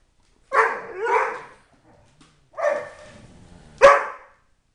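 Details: {'text': 'Tyson, a three-year-old Dobermann kept at home with three other dogs, yodels in happy bursts: three short, harmonic-rich, wavering howl-barks, the first two run together, then a pause, a second burst and a sharp final one.'}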